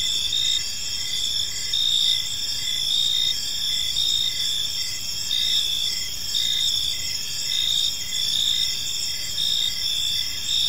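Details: A park at evening filled with the gentle chirping of crickets: unbroken high whistling trills plus evenly spaced short chirps, steady throughout with a light low-frequency rumble.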